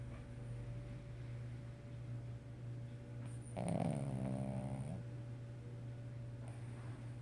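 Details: Sleeping Cavalier King Charles Spaniel snoring: a single rough, rattling snore lasting over a second midway, set against a constant low indoor hum.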